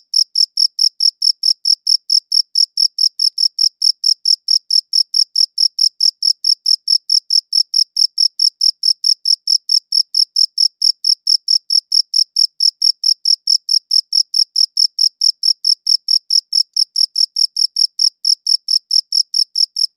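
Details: Steady cricket chirping, recorded with a good audio recorder: a sustained, metronome-like run of sharp, high chirps at a constant quick pace, no pauses, no background noise.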